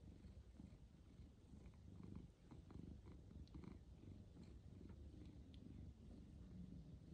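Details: Pet tabby cats Pizza, a ginger male, and Luna, a grey female, lounge on a cat tree in Sydney on a lazy day; a steady low rumbling purr runs throughout, with faint small clicks above.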